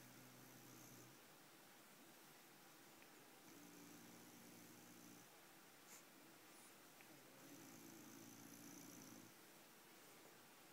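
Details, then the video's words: Bulldog asleep, snoring in slow cycles: two drawn-out rasping, humming breaths about four seconds apart, each lasting nearly two seconds with a low droning tone and breathy hiss, quiet room noise between. "Bulka Snoring"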